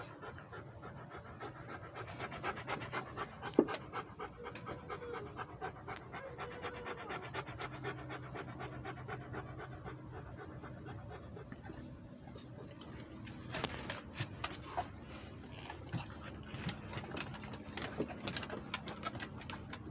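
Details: Rhodesian Ridgeback dog walking and breathing, a steady run of quick, breathy pants with soft rustling and footfalls throughout, a few sharper clicks standing out.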